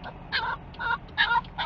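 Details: Cricket, a dog excited on the way to Sarah Park Dog Park in Lake Havasu City, gives four short, tonal whining yelps in quick succession, each wavering with bright overtones, over a soft low background rumble.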